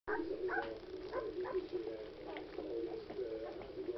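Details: At night, a litter of nine Alaskan Malamute puppies with their mother gives a steady run of short, nasal whimpers and squeaky whines, overlapping one another.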